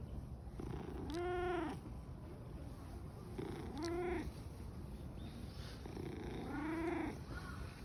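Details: A contented black-and-white tuxedo cat, eyes narrowed in a very good mood near Fushimi Inari, purrs with a loud, steady low rumble, broken by three short, rising-then-falling meows.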